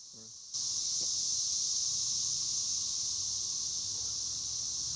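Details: Cicadas near a small cornfield with beans, during the maize harvest season, with a steady, loud, high-pitched hiss that begins abruptly after a brief quiet opening and holds unbroken to the end.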